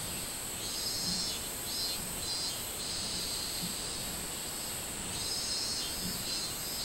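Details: Minmin cicada calling on 24 July 2016 in summer: a high, pulsing buzz that swells and fades in rapid beats, several times a second, over a steady high-pitched insect hiss.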